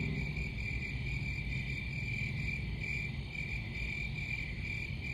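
Crickets chirp in a steady, high, ringing trill over a low background rumble.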